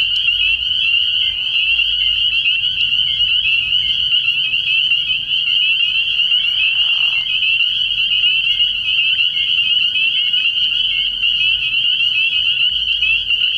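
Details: Spring peepers in full chorus at a frog pond on an early-year night: a relentless, high, bell-like peeping from many frogs at once, steady throughout, with a faint low hum beneath.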